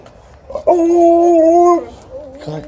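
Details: Liza the Alaskan Malamute, happy and talkative as her people return, gives a loud, level, steady howl lasting about a second, then a softer wavering whine trailing after it.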